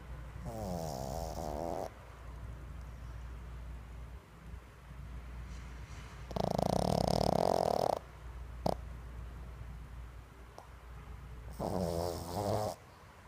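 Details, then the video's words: Pug asleep and snoring, filmed 22 January 2016. Three drawn-out rattling snores, the first wavering and pulsing, the loudest around seven seconds, the last near twelve seconds, separated by soft breathing; a brief click near nine seconds. "pug roncando"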